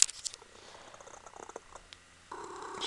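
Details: Punkin, a female Ragdoll kitten, purrs while cuddling her owner indoors; soft rapid pulsing rumble with faint crackles, then a brief louder mid-pitched murmur near the end.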